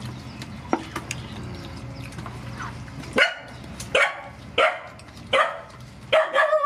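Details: Mother dogs and puppies being fed as rescue animals, with faint sounds at first, then loud clipped barks about every three-quarters of a second over a steady low hum.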